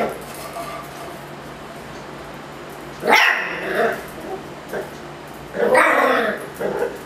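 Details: Miniature Schnauzer Ruffus, upset with a Yakult pot, lets out two loud, harsh barks about three seconds apart. Softer short yaps fall between them against a low indoor hum.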